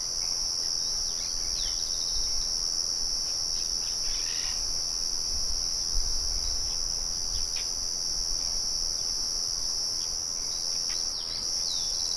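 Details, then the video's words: Crickets in nature sing a steady, high-pitched continuous trill, with a second fainter band higher up. Scattered short bird chirps come through beneath it, and a mill murmurs in the background. "Sonido de Grillos y Pájaros"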